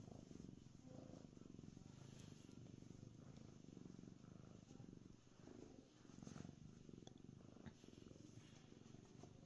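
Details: Domestic cat lying happily on a concrete basement floor, purring: a low, steady rumbling throb running continuously, with faint brief rustles and a soft breath-like swell near the middle.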